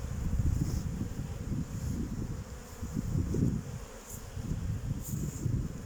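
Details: Kept honey bees circling near their hives on 8 May 2023 in mild weather of about 14 degrees; a dense, low hum that rises and dips continuously, with a brief lull near the fourth second.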